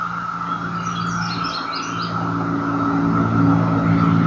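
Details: Periodical 17-year cicadas (Magicicada) drone in a steady, unbroken chorus over the rumble of passing traffic in Madison, North Carolina, on 16 May 2013.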